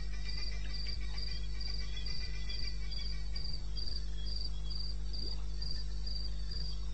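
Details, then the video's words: Night chorus of crickets in eastern Botswana's wilderness, recorded at 2:30 AM on 21 May 2016: evenly spaced shrill pulses repeating roughly three times per second, a softer lower chirper joining early, constant low rumble underneath. "1 Hour cricket sound-Africa-No loop-Real recording."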